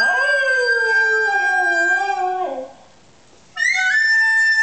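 A dog howls in a long, wavering, falling tone along with a recorder's steady piping notes.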